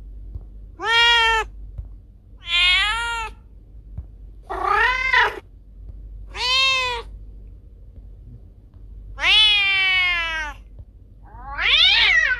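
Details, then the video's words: Cat calls meant to chase rats away: six separate meows, short and bright, several rising then dipping, one ending in a steeply falling wail, spaced about one and a half to two seconds apart over a soft hum. "Suara Kucing Pengusir Tikus"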